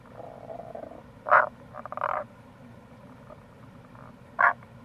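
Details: Wild Tago's brown frog calling in April near a gorge on the Kamo River, Itoshima, Fukuoka, Japan: short low croaking notes with a softer, longer grating call between, steady running-water hiss beneath.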